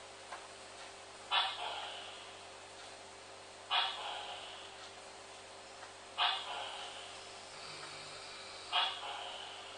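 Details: Captive Dendropsophus leucophyllatus calling indoors: short, raspy, broadband notes spaced about every two and a half seconds, four in all, over a steady low electrical hum.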